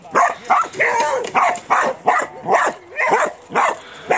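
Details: Border Collie working on a farm, barking loudly and steadily, about two to three barks per second in an even run of around ten barks.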